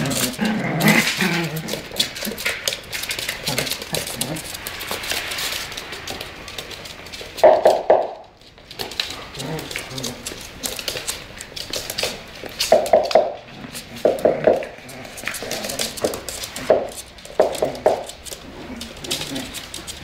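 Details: Tibetan Terrier at play, giving short whimpering, yelping calls in bursts, strongest near the middle and latter part, with a person talking throughout.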